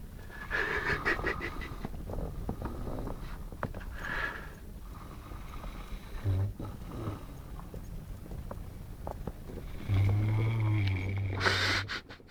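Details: Saint Bernard named Lara, a pet dog, snoring while asleep, said to snore like a man; low rumbling snores repeat steadily through the recording, with a brief voice-like tone toward the end.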